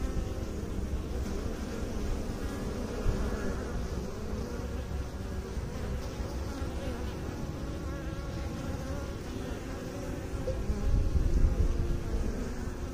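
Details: A deep, busy droning of honey bees kept by beekeepers, continuous and low-pitched, swelling louder near the end.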